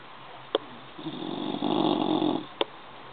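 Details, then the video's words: Sleeping bulldog snoring indoors: one long, rough, rasping snore swells and fades over about a second and a half, with a sharp click just before and after. "Schnarchender Bulldog"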